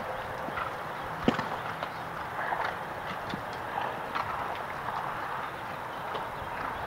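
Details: Show jumping horse during a jumpers round, Table II section, at a horse show: scattered hoof strikes, one sharp thud early on, then softer irregular beats over a steady background hum of voices.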